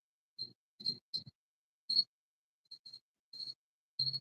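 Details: An indoor cricket hidden under a paint rack gives loud, high, pure-toned chirps in short, unevenly spaced bursts.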